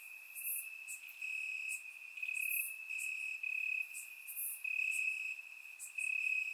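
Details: On a warm Bulgarian summer night, crickets chirp in the grass, surround-recorded; a level high trill underlies loud, irregular bursts of sharper chirping that swell and fade every second or two.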